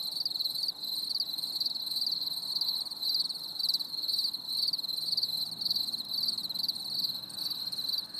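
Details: Cricket chorus on a stormy summer evening, a bright high-pitched trill that swells into short pulses about twice a second, continuous throughout over a quiet background.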